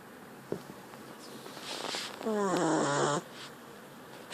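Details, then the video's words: Sleeping puppy snoring: one squeaky, whistle-like breath lasting under a second, with a tonal sound stacked in harmonics, set against soft room hiss and faint rustles. "puppy snoring"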